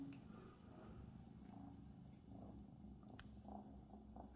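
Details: Abyssinian cat purring at home: a steady low, rumbling vibration runs throughout, with faint soft rustles and small room noises above it.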